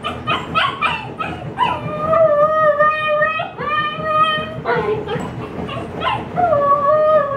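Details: Female Siberian Husky puppy left alone indoors during yard sale setup, upset and wanting to join her owners, her first howls: quick rapid yips give way to three long steady mid-pitched howls, the last rising slightly.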